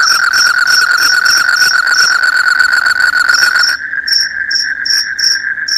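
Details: High, pulsing cricket chirps repeated several times a second alongside a constant, shrill ringing tone. The chirps fade for a moment, then return as sparser, separate pulses.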